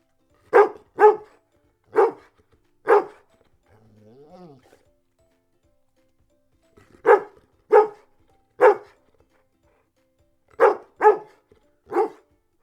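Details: Dog barking in sharp, separate barks in groups of two to four, with a faint whine-like sound between groups and a quiet silence around them.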